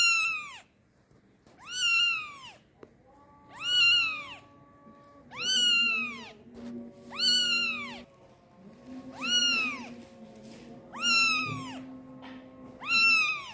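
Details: Kitten meowing and crying loud for mom while pooping: a regular run of about eight piercing, arched meows spaced roughly every one and a half seconds, with faint steady tonal hum and a click in the background.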